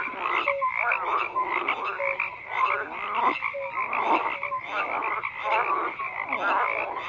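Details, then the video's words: Frog chorus of rapid, rattling croaks layered over one another, punctuated by brief clear tonal notes every second or so, forming a constant night-like wall of calling. "FROGS CROAKING"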